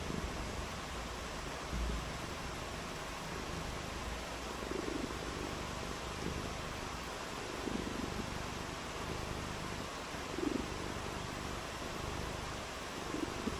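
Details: Cat on a rainy day, purring steadily: a low, continuous rumbling purr with fine pulsing texture, set in a constant broad hiss across the whole stretch.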